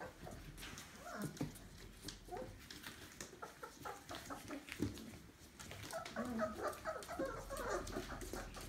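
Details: A jumble of Labrador Retriever puppies, litter Alice, on their 28th day, recorded 31.05.20 at Kloster Marienthal kennel. Thin squeaky whines appear scattered, then grow denser toward the end, over shuffling and bumping noises.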